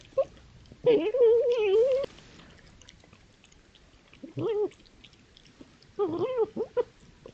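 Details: Foxes playing, fighting or establishing territory, recorded by trail camera on a woodland edge in East Sussex: a long wavering, nasal crying whine, then two shorter whimpering cries with clicks, in otherwise quiet surroundings.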